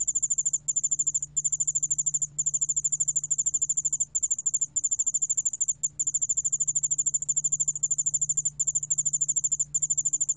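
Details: Yeoul-allak-bangul cricket, from a 2020 Korean National Institute of Biological Resources recording: sustained, very high ringing trill of fast pulses, interrupted by short regular breaks every second or so, over a quiet low hum.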